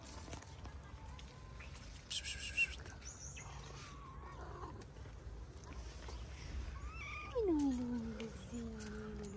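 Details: Stray calico cat living with shy, always hungry companions in a mosque garden in Morocco; one long meow sweeping downward from mid to low pitch, followed by a shorter lower cry, over steady outdoor background noise.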